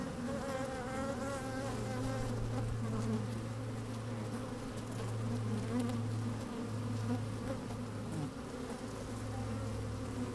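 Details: Honey bees at work in an open hive on a sunny day, captured close inside the hive: a thick, even buzzing hum with a strong deep tone and wavering higher overtones, slight wind.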